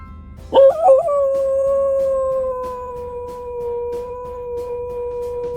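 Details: Guinness, a former stray pup known for howling whenever an ambulance goes by, opens with a few quick wobbling notes, then holds one smooth, sustained howl that sinks very slightly in pitch across several seconds.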